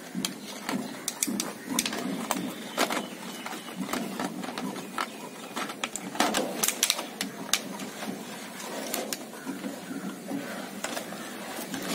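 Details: Rapid mechanical clicking and rattling fill a small room, with faint speech and no animal voice. Sharp ticks and scrapes repeat irregularly throughout, like a machine at work.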